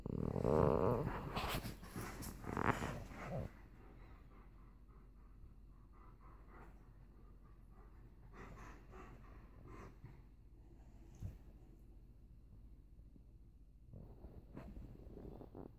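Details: Indoor play between an Alaskan Malamute and a pit bull over a toy: loud, harsh growling and grumbling for about three seconds, then quieter breathing and faint rustles, with a brief burst near the end.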